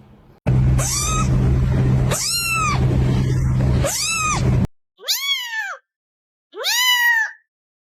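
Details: Kitten meowing: five loud, arched, high-pitched meows that rise then fall. The first three sound over a steady low hum; the last two come in near silence.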